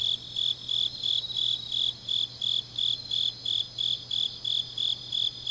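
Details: Deep-night autumn insect chorus from Changnyeong, South Korea, heard as clear high chirps spaced about a third of a second apart, layered with fainter higher trilling and a soft low hum.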